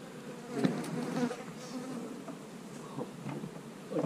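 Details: Honey bees buzzing as hive boxes are worked through on split day: a steady low hum, with knocks and scraping of equipment scattered throughout.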